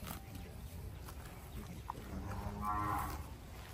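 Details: Brahman cattle on a farm in Bangladesh, an original Brahman calf shown near a Brahman cross calf; a faint, low droning moo swells midway, with a man talking nearby and farmyard noise.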